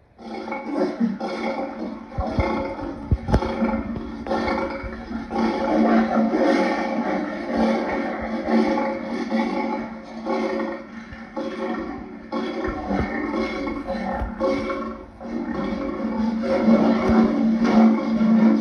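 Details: Lion heard in a long run of rough, rumbling roars and growls, loud and continuous with brief dips, a few sharp clicks early on and a gritty, noisy texture throughout.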